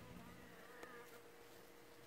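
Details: Western honey bees just arrived in a shipping bee box, clustered in a mass around their queen, give a soft, steady, low droning hum with a faint buzzy edge through the mesh.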